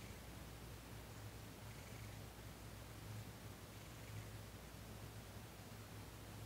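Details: Purring from Thomas, a cat being massaged during a Reiki session on December 28, 2021: a low throbbing drone rising and falling in rhythm with his breathing, close and steady throughout.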